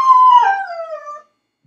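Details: Crated dog left home alone, crying and howling after its owner leaves; one loud, tonal howl starts high, wavers, then glides steadily lower before cutting off into silence.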